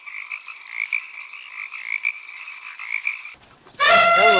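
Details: Frog calling in a rapid, continuous pulsing croak for about three seconds, ending abruptly; a short loud harmonic honking sound of a different kind follows at the end.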